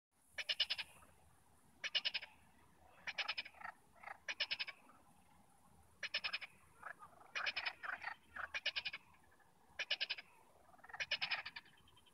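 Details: Frogs calling near Nantes, France: short pulsed, rattling croaks in bursts of about half a second, repeated roughly every second with uneven spacing, some fainter overlapping callers between the louder bursts.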